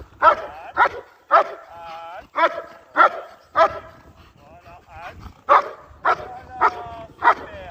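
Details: Sharp barks with whiny, yelping edges from a German Shepherd working in IGP competition training, repeated about every half second with brief irregular gaps.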